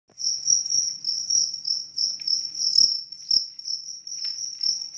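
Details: Large cricket chirping steadily in a high, pure tone, pulses running almost continuously in rapid trills with brief gaps, a few faint knocks in the background.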